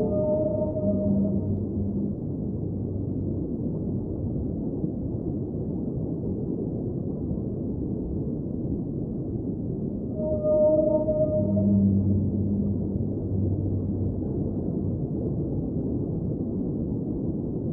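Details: Whale song within an underwater ambient soundscape: two bursts of low, tonal, harmonic moans about ten seconds apart, set against a steady deep rumbling wash of water noise.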